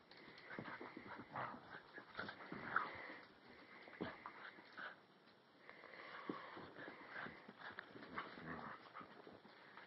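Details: Alaskan Husky puppy, tethered to a chair, wrestling indoors with a year-old Rottweiler/Puggle: scattered short rough growls, snorts and scuffling bursts with bumps of bodies throughout.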